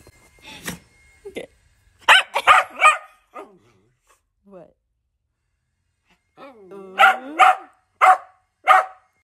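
An Italian Greyhound lets off clusters of sharp, high-pitched yaps, several in fast succession, then pauses. A falling, whining note comes before the final run of barks, and a voice may be faintly mixed in.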